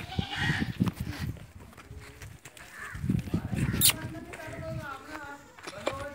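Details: Barbari and Sojat female goats that have kidded once or twice, kept on a farm near Ajmer, Rajasthan; people talk at first, then a few short, shaky, nasal bleats follow toward the end.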